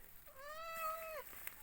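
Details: A newborn Hejazi goat, one of twin kids (a male and a female) born during the night, gives a single drawn-out bleat lasting about a second, steady in pitch and falling briefly at the end, in a quiet setting.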